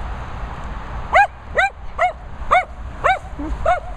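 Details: Dogs barking at boarding and training kennels set in Worcestershire countryside. Six bright, ringing barks sound roughly every half second, with a lower, softer yelp near the end, over a low rumbling background.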